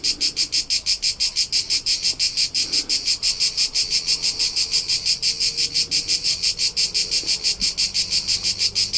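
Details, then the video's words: High, pulsing cricket chorus from the Tuscan hills of central Italy, evenly repeated chirps close to three per second, strong and steady across the whole stretch, little else audible but a faint low murmur. "CRICKET SOUNDS"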